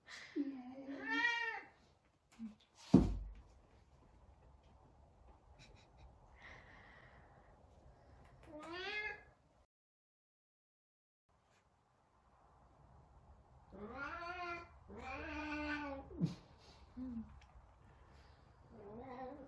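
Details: Sabian, a very talkative Savannah cat, searching for Sabina, gives a series of rising-falling meows, some long and wavering, in bursts with a quiet gap between them; one sharp knock is heard early on.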